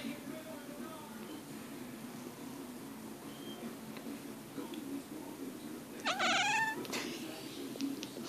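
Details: Sleeping female kitten murmuring in her sleep: after a long quiet stretch with a low steady hum, one clear rising-then-falling mew with rich harmonics, followed by a faint softer trailing murmur.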